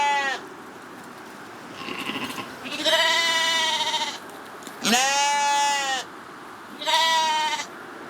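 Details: Corriedale sheep bleating on a farm in Canada; several strong, wavering, nasal bleats about a second long each, separated by short quiet gaps, with one fainter bleat partly overlapping.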